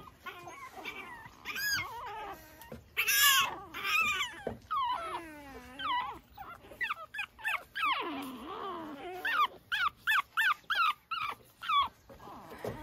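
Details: Pekingese puppies outside early in the morning, tumbling about. Many high, wavering whimpers and yips with rising and falling pitch, some rapid short yelps in a run near the end.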